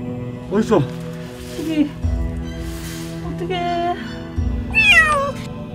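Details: Anxious kitten stuck in sticky glue from a mouse trap, found in a corner inside a ceiling as rescuers approach, gives short strained meows near the start, around two seconds and again near five seconds, over steady background music and people talking.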